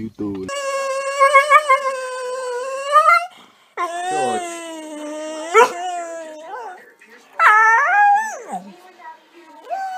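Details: Staffordshire Bull Terrier, a pet dog, giving long drawn-out whining howls that hold a steady pitch, slide upward and then break off in falling glides. Three separate sustained vocal phrases with brief gaps between them.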